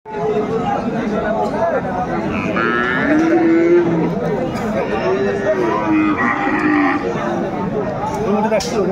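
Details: Cattle, Friesian and crossbred bull calves, at Raniganj cattle market in Dinajpur on 13 November 2024; low drawn-out moos rise and fall amid steady crowd chatter, bargaining voices and background music.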